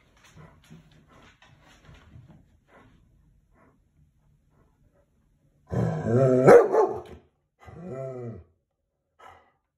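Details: German Shepherd dog, suddenly serious when someone walks past, gives a rapid run of harsh, booming barks after faint rustling, then a groaning growl and one short final bark.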